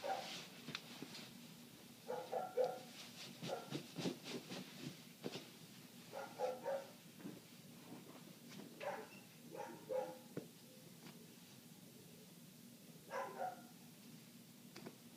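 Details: Neighbour's dog heard from indoors with windows closed, part of eight minutes of nonstop barking; muffled barks come in short bursts of two to four, scattered among sharp rustling and clattering from clothes being folded nearby.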